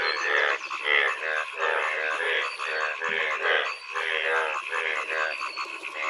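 Frogs croak in a dense rainy-season chorus of pulsed, rasping calls.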